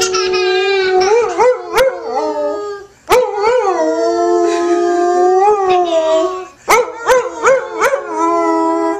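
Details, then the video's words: Howling dog named Ben singing along with a woman; three phrases of wavering, rising-and-falling howls separated by brief silences, each opening with quick yelping rises. "Howling Dog and Woman sing a duet!"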